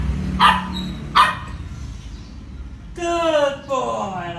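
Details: Pet dog Roscoe, told to sit and answer, gives two clipped barks roughly three-quarters of a second apart, then a person speaks in a bright, rising voice.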